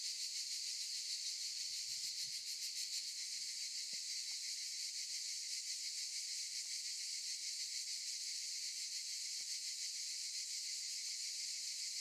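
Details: Continuous high buzzing of cicadas among olive trees, a bright rasping hiss that throbs slightly, briefly stronger in rapid pulses near the start, with faint soft knocks below.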